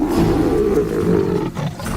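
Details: Lion from a pride in a wilderness shared with a herd of about 300 buffalo; a deep, rough, sustained roar with strong low rumbling energy lasting nearly two seconds, fading slightly near the end, under a documentary soundtrack.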